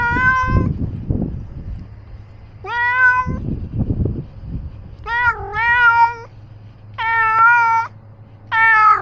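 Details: Outdoors with a camera strapped on, Ros the cat meows in a streak of five drawn-out, steady, harmonic calls, some wavering mid-note, between bursts of rustling movement.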